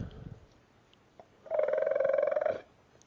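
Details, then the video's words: Dog producing a raptor-like vocalisation: one buzzy, rapidly pulsed trill lasting about a second, steady in pitch, after quiet room noise, with faint clicks before it. "dog makes raptor noises"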